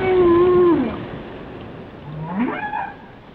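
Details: Loud, drawn-out low whale moan slides downward during the first second, followed by a swooping rising call that turns into a higher wavering tone, with faint underwater hiss behind.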